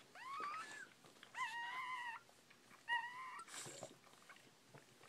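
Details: Newborn Bull Pei puppy crying indoors: three clear, tonal, nasal whines, each lasting up to a second and gently rising then levelling off, separated by brief pauses with faint rustling between them.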